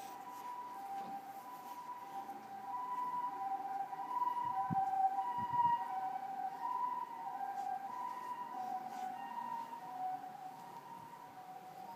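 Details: A steady siren-like tone holds two pitches and wavers slowly throughout, with faint harmonics above and a soft background hiss; no animal voice is heard.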